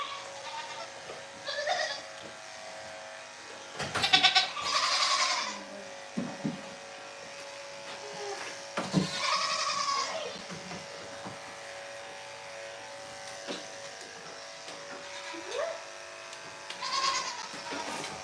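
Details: Goat bleats from The Willful Goat Farm & Home live stream: a few quavering calls spaced several seconds apart, two near the middle loud and drawn out, over steady low barn noise and occasional knocks.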